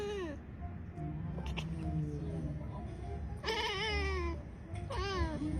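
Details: Domestic cat from a short Indonesian TikTok clip, giving two loud, drawn-out meows that bend downward in pitch, earlier softer sounds and a faint tone, over a continuous low hum.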